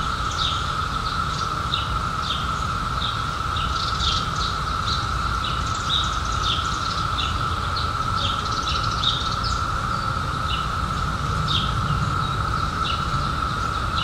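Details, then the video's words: Cicadas emerging in 2021 after a 17-year hiding, heard as a steady, unbroken droning chorus held at one pitch throughout, while birds chirp and twitter in short bursts above it against low rumbling background noise. "CICADAS 🌿 Sounds"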